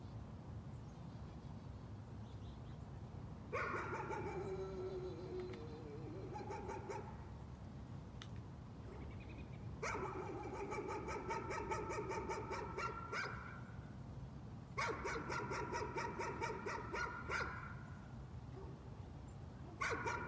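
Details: A dog barking as a nuisance, in three long bursts of rapid, rattling barks lasting several seconds each, separated by quiet gaps, over a constant low rumble.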